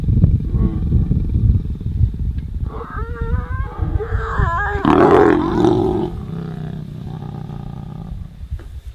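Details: Wild lions mating in Ruaha National Park, Tanzania, close up; deep rumbling growls rise into a wavering, strained snarl, then a harsh explosive outburst around mid-clip, fading to low growls.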